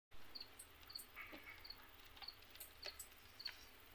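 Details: A hungry female bushcricket, Gampsocleis sedakovii preimago, attacking black cockroaches; short, high, dry chirps, repeated about every half second.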